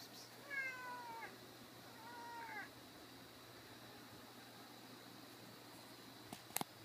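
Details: Cat climbing a table in an office, its voice sounding like a baby: two drawn-out, wavering meows with rich overtones in the first three seconds, then quiet room hum and a few sharp knocks near the end.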